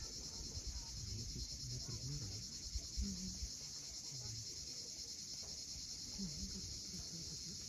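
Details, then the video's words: Cicadas at sunset on the steep coast of Cape Fiolent, Crimea: a steady, high shimmering drone with a fine pulsing texture, holding unbroken throughout, over a low murmur of waves. "Cicadas at sunset."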